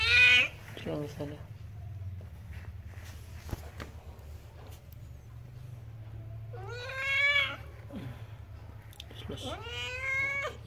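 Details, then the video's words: Village cat about to give birth, giving three drawn-out, harmonic meows, at the start, around the seventh second and near the end, each rising then falling, over a steady low indoor hum. "Suara Kucing Mau Melahirkan"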